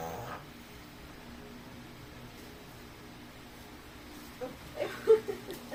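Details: A Chihuahua sneezing: a long quiet stretch, then near the end a tight cluster of short, breathy, snorting bursts, three or four quick sneezes in close succession.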